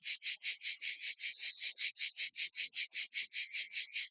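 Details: In the evening in Provence, near Vaison-la-Romaine, a strong cicada chorus in the trees fills the air with harsh, high buzzing that throbs in quick, even pulses, roughly two or three per second, steady and relentless.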